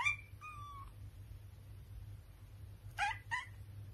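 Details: A British Shorthair cat gives short, tonal meows and a pair of quick chirping mews.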